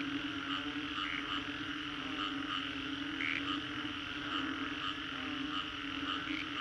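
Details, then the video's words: After a storm at Green Corridor, Singapore, many frogs fill the air with a continuous droning chorus, layered fast trills and occasional sharper high notes rising above the steady wall of calls. "Frogs after Storm"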